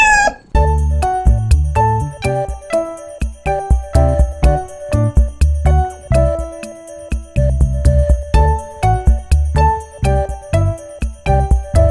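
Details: Bright chiming, jingly music plays with a steady beat and tinkling bell notes throughout, and no animal voice is present.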